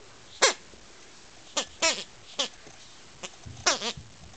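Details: While an Akita puppy relentlessly tries to kill a toy bee, short bright yips fall in pitch, some doubled, in irregular bursts, with a soft low thump and faint snuffling between them.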